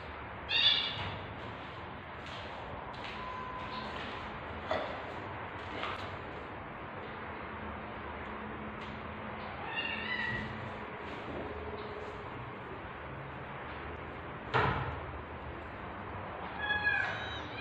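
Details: Tabby cat in labour, tagged as British Shorthair, giving birth to kittens; a few brief, high-pitched mews are spaced far apart, with long quiet gaps filled only by faint room noise and occasional thumps.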